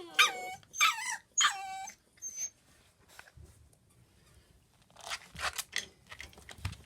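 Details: Pembroke Welsh Corgi puppies, four siblings confined indoors while the room is cleaned. Three loud, bright whining cries come in quick succession, followed by a brief squeak and then rustling and scuffling noises.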